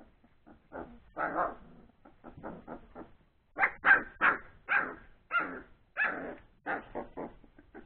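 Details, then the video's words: After a meal, three-week-old Old English Sheepdog puppies play noisily, firing off fast runs of high yappy barks, a brief lull, then another dense burst of yelps. "Old English Sheepdog puppies play time"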